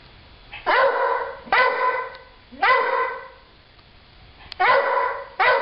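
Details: Pet dog barking at nothing: four loud, harsh single barks, each about half a second long, spaced roughly a second apart, with low background hum between them.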